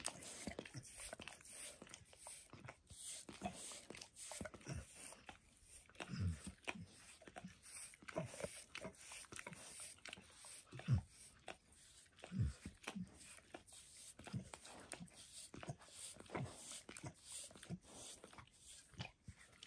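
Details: Pet dog Max bathes himself and licks a nearby foot and his own paws indoors; sparse, irregular wet laps and soft smacking pops, under one per second, with low thuds and a quiet room background.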